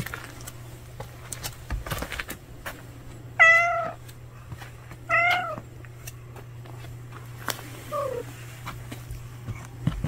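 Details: Stray cat whose food was taken gives two drawn-out meows about two seconds apart, each slightly falling in pitch, over a steady low hum and scattered faint clicks.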